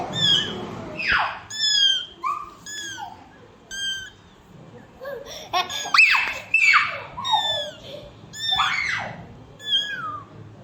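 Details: Mother cat with her kittens indoors; high, thin meows with a bent, falling pitch come in quick irregular bursts, mixed with louder sliding cries and brief noisy sounds.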